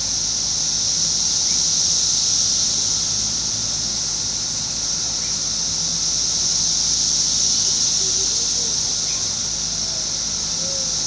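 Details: Periodical cicadas of Brood X, emerged after 17 years, fill a wooded residential edge in Fairfield, Ohio on June 5, 2021 with a loud, even, high-pitched droning buzz that gently waxes and wanes, a faint low hum behind.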